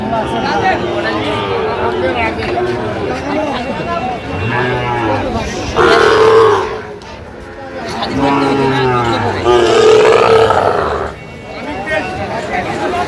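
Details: Sahiwal bull calves on sale at Ambari market, bought by Cumilla farmers, 1 September 2025: a deep, short moo around the middle, with higher bellows later, partly masked by loud nearby voices and market chatter.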